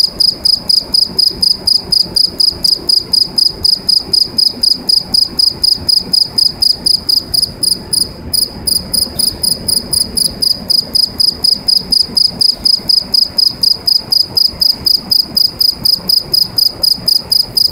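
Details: A cricket singing inside a pipe gives a loud, high, ringing trill in rapid, evenly repeated pulses.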